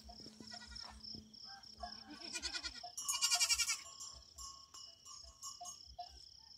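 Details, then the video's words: A big goat relaxing; loud pulsed, wavering bleat bursts around the middle, with a steady high whine and scattered chirps throughout. "big goat relaxing"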